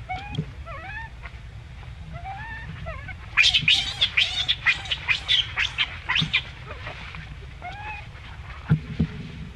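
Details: Baby monkey among a monkey group as an adult acts on it: thin whistled rising peeps repeated at first, then a sudden run of shrill piercing screams in fast uneven pulses, settling back into soft peeps.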